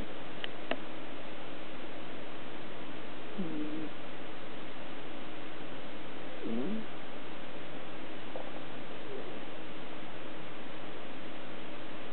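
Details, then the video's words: Sleeping female house cat snoring indoors, a nightly habit; soft, low rasping breaths recur roughly every three seconds over a steady low rumble, with faint clicks near the start. "Cat snoring - Gatto che RONFA"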